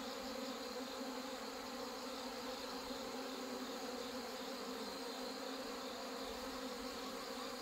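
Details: Many honey bees buzz during the merging of hornet-damaged colonies and colonies whose mating failed; an even, droning hum with layered tonal bands that holds unbroken for the whole stretch.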